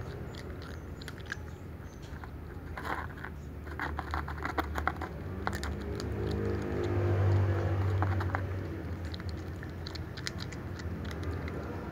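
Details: Crunching and chewing fill an indoor room, with irregular clicks and a steady low hum. No meows or other animal calls come through.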